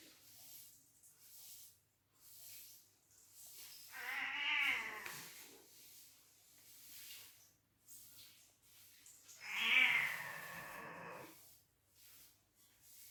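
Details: Cats in a fight trade two long, harsh, quavering yowls about six seconds apart, each rising and then sagging, with quiet rustling between them.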